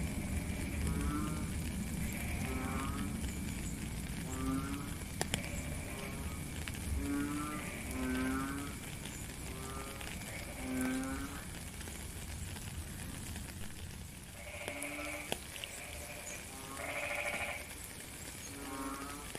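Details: Frogs calling during rainfall outdoors: a long run of low, nasal, harmonic croaks repeated every second or two, with a few higher buzzy rasping notes toward the end, all under steady rain hiss.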